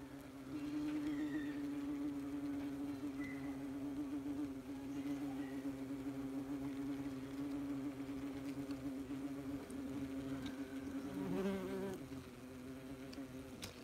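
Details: Many wasps working at their nest, filmed as close as possible: a loud, sustained droning buzz with rich overtones, swelling slightly and wavering in pitch near the end as individual insects pass.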